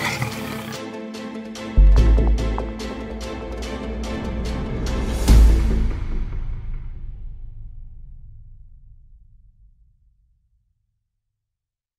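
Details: Dramatic music with heavy booming hits and rapid pulses swells, then fades slowly into silence.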